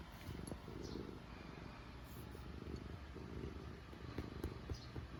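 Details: Black cat purring while being petted, also kneading with claws and biting: a low steady rumbling purr with rhythmic pulses throughout, close and continuous.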